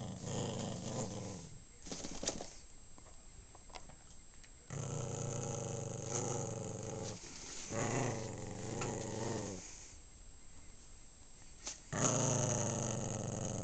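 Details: Pet dog of uncertain breed, possibly Maltese or Shih Tzu, growling indoors in long rumbling bouts broken by short pauses, with a few sharp clicks and rustles between the growls.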